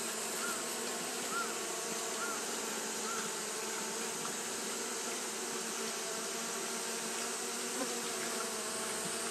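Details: Japanese honey bees fanning continuously on a hot day: a steady, dense buzzing drone holding an even level throughout, with layered hum bands and faint overlapping tones from many bees, no pauses or other clear sounds.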